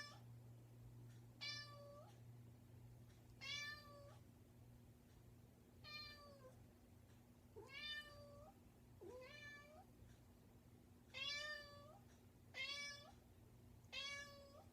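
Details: Pet cat persistently calling at a bedroom door, around ten meows over fifteen seconds, short rising-then-level cries at irregular intervals over a constant low indoor hum.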